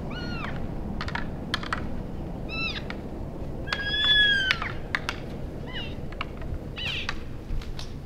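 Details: Elk bulls sparring and playing at the end of January after the rut, Canada's Rockies. Short arched squealing chirps with stacked overtones, a longer drawn squeal midway, and sharp knocking clicks scattered throughout over low rumbling background noise.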